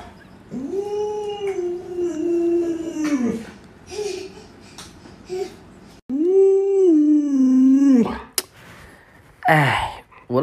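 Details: Indoors, Alaskan Malamutes gather around their owner in bed, each wanting to climb under the covers. Two long, drawn-out, quavering howls, each rising briefly then wavering down, are separated by short whimpers and ending in rustling noise.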